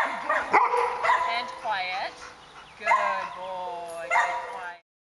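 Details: Pet dog trained to bark on command, giving short harmonic barks about every second or so in reply to repeated spoken cues of "speak" and praise of "good boy", with a human voice overlapping and faint background music.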